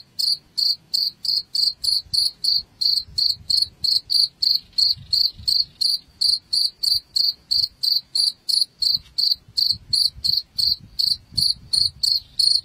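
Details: Cricket chirping, played to drive rats out of a house: a steady run of short, high, shrill chirps, about three each second, evenly spaced throughout with a faint low rumble beneath.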